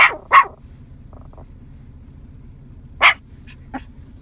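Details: Young Yorkie, nine months old, calling in cows across a field: a quick pair of shrill barks, a pause of nearly three seconds, then another loud bark and a softer short yip, over steady low hum.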